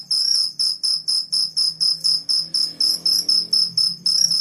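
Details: Morning cricket song: sharp high chirps repeated about twice a second in a regular pulsing rhythm, with faint low background noise.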